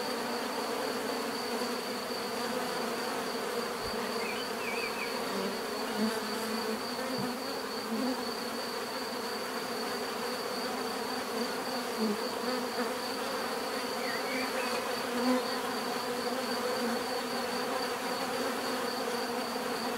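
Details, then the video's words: A continuous swarm of bees drones on, a thick mid-pitched hum with a faint high whine above, a few brief chirps of small birds rising through it now and then. "bees therapy relaxing natural buzzing sound"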